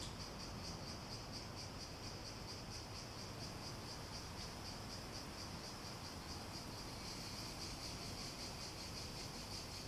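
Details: Continuous high cicada drone with rapid regular pulsing, growing slightly stronger toward the end, over a quiet hissing background.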